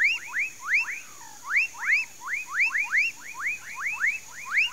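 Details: Frogs calling in a palm swamp of Mauritia flexuosa near Pedro Gomes, Mato Grosso do Sul, Brazil: a dense chorus of overlapping upswept, arching notes, several each second in rhythmic pulses, with a steady high hiss above.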